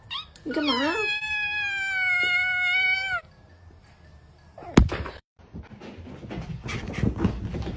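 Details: Domestic cat giving one long, steady, drawn-out meow lasting nearly three seconds after a short rising start, followed by a sharp thump and then rustling handling noise with faint voices.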